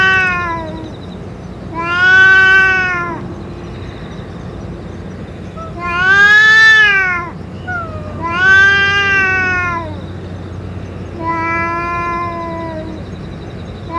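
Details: Street-living boss cat, fed along with its medicine, calling with five long wavering meows, some rising then dropping in pitch, spaced a couple of seconds apart against a faint constant drone.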